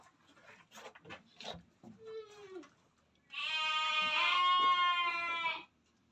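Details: Etawa crossbred buck goat. Clicks and a short descending note come first, then a loud, sustained, trembling bleat of over two seconds with many bright overtones.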